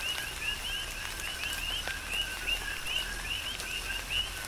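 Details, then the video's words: Coqui frogs on Hawaii's Big Island calling through rain; clear upswept high notes paired with lower short notes, roughly two or three calls per second, with rain hiss and drip clicks behind. "Tropical Rain & Coqui"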